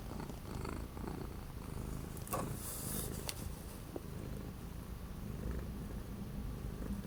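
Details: Orange domestic cat kept inside during days of strong cold wind in January 2025, purring in a continuous low rumble, with a short rustle and a few faint knocks in the middle.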